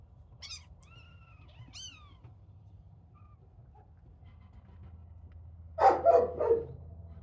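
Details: Little kittens at play, giving two thin, high mews that rise and then fall, about a second apart, over a low steady hum; a loud burst of rustling or handling noise follows near the end.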